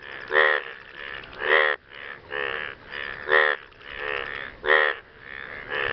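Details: Frogs calling to partners after rain: rasping, pulsed croaks, each under half a second, following one another almost continuously, with several louder, harsher calls standing out about every one to one and a half seconds.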